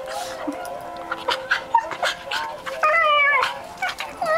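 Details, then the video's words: Pet monkey Oliver chattering while playing with his sister Bindi: bursts of squeaky, bending chirps and short squeals, with a rapid warbling run near the end, over a faint steady background tone. "oliver's monkey chatter"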